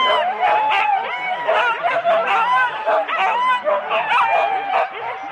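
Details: Husky sled teams of four dogs waiting for the start at Rendlesham in January 2016, captured on analogue cassette; many dogs yelp and whine together, rising and falling cries overlapping with quick barks.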